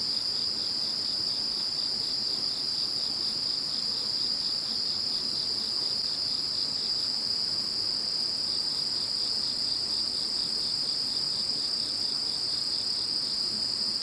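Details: Insects chirring after the passing of Typhoon No. 21: constant high shrill tones ring throughout, over which a quicker rhythmic chirping beats for several seconds, pauses, then returns.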